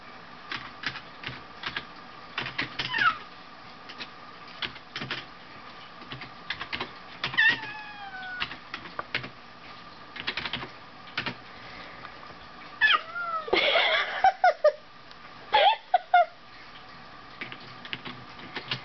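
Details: Pet cats Solomon and Tasuki sparring at home, the heavier Tasuki making high-pitched sounds; several falling squeals around 3, 7.5 and 13 to 16 seconds amid clicks, taps and scuffles.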